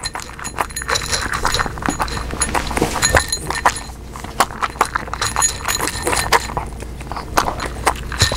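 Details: Pug named Omame eating, recorded with a newly acquired microphone without added sound effects: steady sharp crunchy clicks of chewing at irregular short intervals, with a faint soft hiss behind them.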